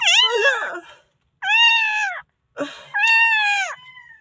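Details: Rescued newborn puppy from the Philippines crying for help: three loud, shrill, wailing cries, each about a second long, flat then dropping at the end, separated by brief pauses indoors.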